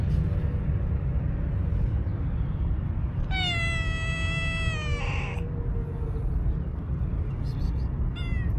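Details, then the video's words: Angry-voiced tuxedo stray cat giving one long, level, harmonic meow of about two seconds that ends in a brief harsher burst, with a short faint call near the end and steady low street rumble throughout. "Tuxedo Cat with Angry voice"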